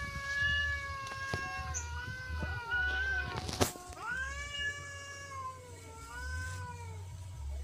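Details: Persian cat and village cat fighting in a garden; sustained wavering yowls with rich harmonics, sliding up and down over several seconds, a sharp click midway, low hum beneath.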